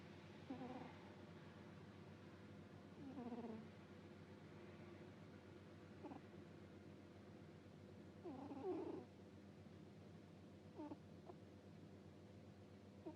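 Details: Cat dozing and snoring 'puu puu', with uneven soft snorts and a few faint whistly breaths spaced irregularly, plus brief clicks, under a steady low room hum.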